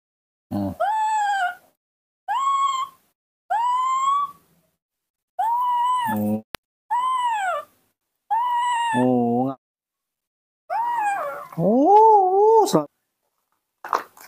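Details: A baby monkey missing its mother gives clear, melodious tonal calls that rise and fall, repeated every second or two.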